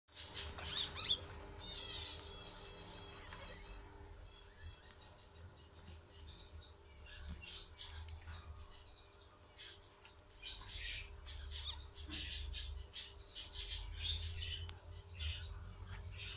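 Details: Guinea pig during a birth, indoors: high squeaks and stacked chirping calls in the first four seconds, then scattered short squeals and rustling over a steady electrical hum.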